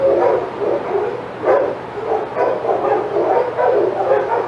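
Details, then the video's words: Senior sanctuary dogs barking excitedly at Old Friends Senior Dog Sanctuary as Titus passes their yard; rapid overlapping barks with one sharper yelp, faint background hum. "Dogs Go Crazy as Titus Passes"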